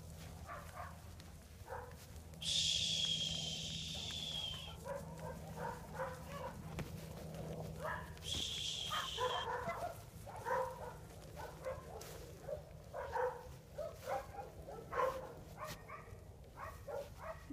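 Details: Sheep guard dogs barking from the far side of a fence while a herding dog named Bart works bulls by a barn: quick, repeated barks in uneven bursts, cut by two long hissing noises, with farm background noise.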